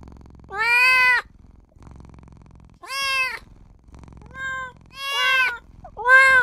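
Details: Small newborn kitten crying out for its mother and owner with five meows in quick succession, some short and clipped, others longer and bending upward, separated by brief pauses and a quiet low hum.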